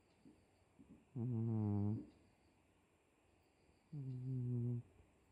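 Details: Snoring from Miiko the cat: two long, steady, droning snores, each nearly a second, low and richly harmonic like a hum, with brief faint breaths before the first.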